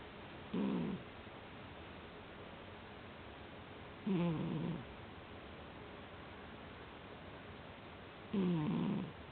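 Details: Cat in deep sleep snoring in a steady rhythm, a low buzzy tone with wavering overtones on each breath, repeated roughly every four seconds, with a quiet background.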